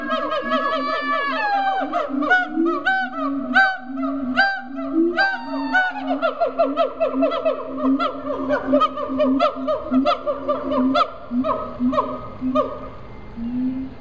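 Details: Siamangs calling at Riverbanks Zoo in Columbia, South Carolina: a fast series of rising whoops that slide downward and speed into quick staccato barks, over a deep resonant booming note, several animals joining together.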